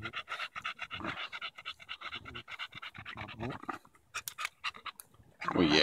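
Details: Quick rhythmic panting from Daisy, a Bulldog, playing with a stick during a July 2014 walk in Erindale Park. Steady breathy pulses run for about four seconds, then a pause and a rustling burst, with a person talking over it.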